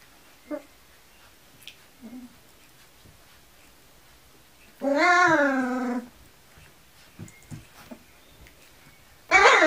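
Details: Kuvasz puppies at 19 days old, indoors: one long wavering harmonic whine lasting about a second, a short sharp squeal at the end, and a few faint soft yelps between.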